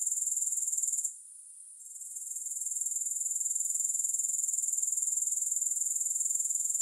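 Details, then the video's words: High-pitched grasshopper chirring with regular rapid pulses, fading briefly after one second and then swelling back to a steady rhythm; no music or other sounds present. "3 Hours of Grass Hopper Sounds"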